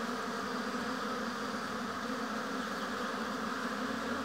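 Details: Honey bees busy at a hive in an apiary: a steady, dense droning hum with no breaks, slightly hissy in the upper range, with no other clear sounds.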